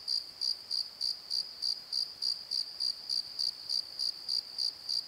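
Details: Crickets at night in a valley bottom produce a clean, very regular series of high chirps, about three pulses per second, over a faint continuous ringing.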